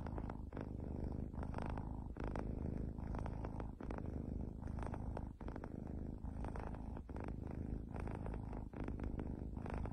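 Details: Domestic cat purring close up: a steady, low rumbling purr that pulses continuously for ten seconds with only brief breaks.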